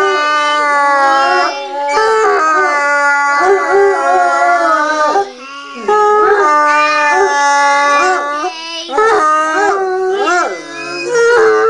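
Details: Three Bloodhounds howl in long, wavering, mournful tones, joining in as a 3-year-old child sings Happy Birthday.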